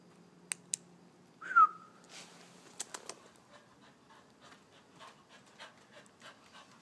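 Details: Male Chow Chow puppy Bearon, playing wildly, lets out one short, high yelp that drops sharply in pitch. Scattered clicks, scuffling taps and a faint low hum surround it.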